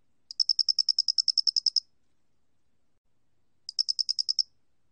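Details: Loxoblemmus doenitzi cricket recorded by the National Institute of Biological Resources, 2020: a long run of about sixteen sharp, high pulsed chirps, a pause, then a shorter train of about eight, with a silent background.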